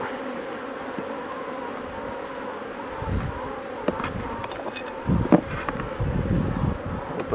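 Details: Honey bees during a 2018 beekeeping session at the hives: a steady, low droning hum holds throughout, with scattered clicks and handling knocks and a louder burst of rustling near the five-second mark.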